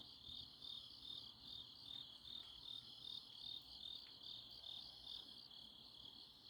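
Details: Grass insects on an autumn night in Chuncheon, South Korea: dense high-pitched chirping in a steady band, pulsing roughly two to three times a second, with a faint continuous background hum.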